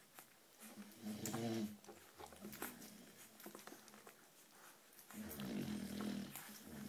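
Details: American Bulldog puppy named Berta, daughter of Big Byron and Carlotta, giving two low, harmonic whining groans, one near the start and a longer one near the end, with soft clicks and rustling between them.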